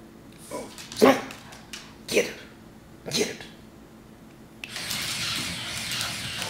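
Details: Two Boston Terriers bark at a remote control toy skunk: three sharp, separate barks about a second apart, then a steady mechanical whirring from the toy, with a person speaking nearby.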